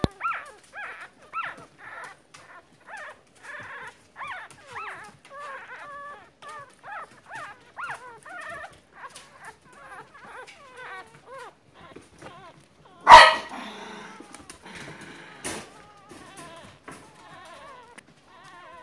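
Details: Newborn Miniature Poodle puppies, born February 2, 2016; a steady series of thin, rising-and-falling squeaky whimpers, roughly two per second, with a sharp loud knock partway through.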